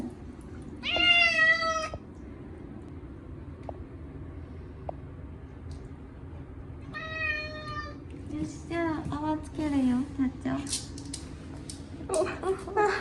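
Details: Chacha, a short-legged Munchkin cat, screams during his once-a-year bath with catnip shampoo on a hot day. Two long, loud, drawn-out meows come first, followed by a rapid burst of shorter wailing cries, while a woman soothingly reassures him.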